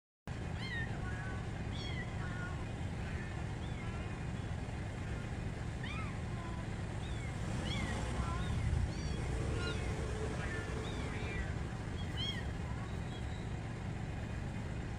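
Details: Mother cat rescuing her kittens: a steady run of thin, arched meows, each rising then falling, repeats irregularly every second or so. They sit over a constant low engine-like rumble that masks much of the scene.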